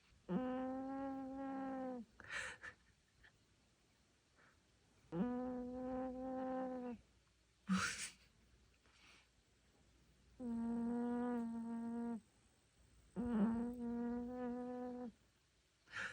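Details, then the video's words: Elderly Maltese with dementia sleeping and snoring: four drawn-out, nasal, humming breaths of about two seconds each, alternating with sharp airy intakes, in a quiet room. "강아지 코골이"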